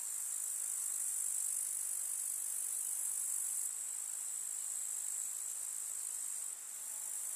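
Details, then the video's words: Chorus of grasshoppers in a rural summer meadow, producing an even, piercing high hiss of chirring with no clear pauses, loudness easing partway through and dipping once briefly before recovering. "КУЗНЕЧИКИ. Слушать звуки летнего луга"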